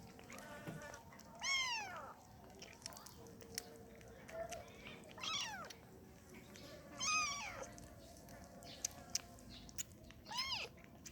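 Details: Kitten wanting to nurse, giving high arched meows spaced a few seconds apart amid faint background noise and small clicks.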